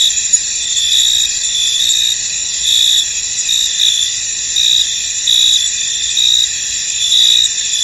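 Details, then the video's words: Field crickets heard through fog in a misty field, a steady shrill chorus of overlapping trills, swelling into brighter pulses about once a second, nothing else audible beneath the insect hum. "Tranquil Cricket Sounds In An Misty Field"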